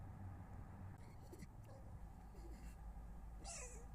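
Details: Foxes visiting a garden in Weston-super-Mare early on 22 November 2025 make strange, faint, wavering calls over a steady low rumble, ending in a sharp, high, falling cry.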